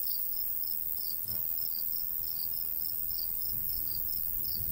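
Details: Short cricket chirps ring out in a summer countryside wheat field, evenly repeated in a high, thin rhythm, with a soft breeze below, a steady shrill background and one brief click.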